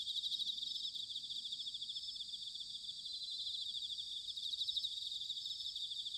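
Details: Autumn chorus of bell crickets recorded in Sanuki, Chiba, Japan, a continuous shimmering high ringing made of many fast overlapping pulsed trills, fairly even in loudness, over a soft low background hum.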